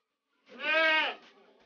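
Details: Long-eared goat kid of the Jamnapari breed on a village farm, giving a single loud, nasal, steady bleat lasting about half a second and trailing off softly, with people talking nearby.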